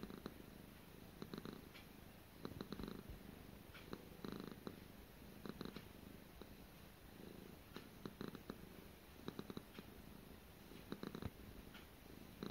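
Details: A domestic cat named Gara purrs indoors during a daily routine, the low throaty vibration rising and fading in repeated pulses roughly every second, with no other sounds in the quiet room.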